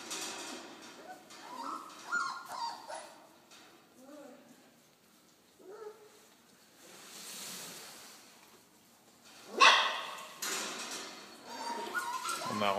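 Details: Ten four-week-old Belgian Malinois puppies (8 males, 2 females, born 8 November 2013) give thin, quavering whines and squeaky yelps, each briefly rising and falling, with occasional louder squeals and rustling between softer cries.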